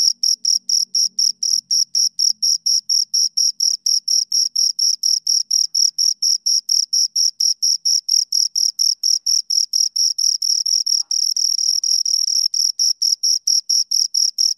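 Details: Close recording of two crickets, high-pitched chirps repeating steadily about twice a second, blurring into a near-continuous trill midway, with a faint low murmur at the start.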